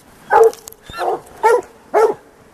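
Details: Plott hounds, white deer strain, baying a big tom mountain lion on an afternoon cat hunt; regular harmonic barks about every half second, with faint clicks between.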